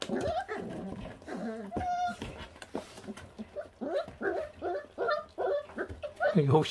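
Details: Five 28-day-old feral puppies eat raw meat down to the bone and are already on guard. Short, arched, whining yips repeat in quick bursts, with human speech over and between them.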